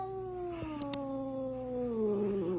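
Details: A pet cat gives one long drawn-out meow, a steady tone that slowly slides downward in pitch over about two and a half seconds, with a couple of faint clicks partway through and a person talking around it.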